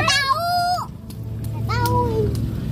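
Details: Farm goats being fed by hand at Arunika, Kuningan, Indonesia, alongside sheep: a loud wavering bleat that bends upward at the end, then a second falling bleat after a short pause, with faint background chatter.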